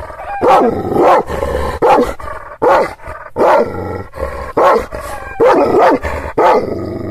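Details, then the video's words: Kangal shepherd dog (Aksaray Malaklı) in Anatolia, Turkey, barking fiercely at strangers in defence of its owner's property and animals; rapid, loud, gruff barks, roughly nine, arrive in quick uneven succession. "Kangal çoban köpeği Aksaray malaklisi Anadolu aslanı vahşi hırçın kızgın köpek havlaması urmesi sesi"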